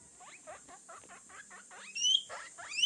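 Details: Baby guinea pig squeaking: a quick series of short rising chirpy squeaks, about eight in under two seconds, ending in louder high whistled squeals.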